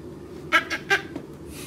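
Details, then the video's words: Puppy barking indoors, three short, sharp yipping barks in quick succession about a fifth of a second apart, with a faint fourth yip after, over a low room hum. "Cute Puppies Barking"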